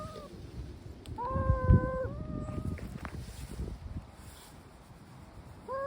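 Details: Drawn-out, steady yowl from a stray brown tabby cat, held for nearly a second with a short tail, followed by quieter rumbling and a new yowl starting at the very end.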